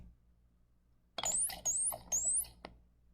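Three quick, high dolphin whistles, each sweeping upward from lower to higher pitch.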